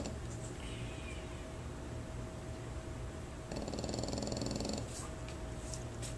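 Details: Snoring French Bulldog staying at a dog training board-and-train, one rattling, buzzy snore of about a second in the middle over a constant low indoor hum.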